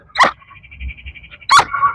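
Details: A Rottweiler in training gives two sharp, deep barks on the "speak" command after smelling a treat, with a man's voice praising it between them.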